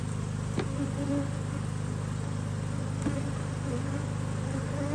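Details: Worker honey bees busy at a Hive IQ hive in Australia during a stunning spell of mid-Autumn weather in 2023, the hive opened to fit another box. A dense, droning buzz holds steady, with a couple of sharp clicks.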